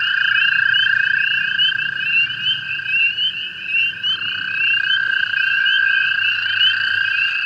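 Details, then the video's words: Hundreds of American toads calling at night in early May in a spring-flooded pool beside an overflowing golf course pond, spring peepers also calling: dense overlapping long, steady musical trills at several pitches, continuous throughout, rising and falling slightly in loudness. "That. This peaceful sound across North America is the sound of the American toads."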